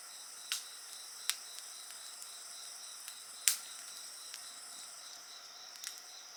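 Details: Shrill, unbroken insect song with a rapidly pulsed upper tone, accompanied by a bonfire whose wood pops and snaps loudly every second or two.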